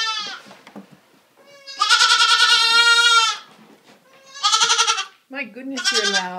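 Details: Two just-rescued baby goats, a black La Mancha and a sable Nubian, indoors and awaiting their bottles: a long, loud, wavering bleat, then two shorter bleats, with a woman talking to them between calls.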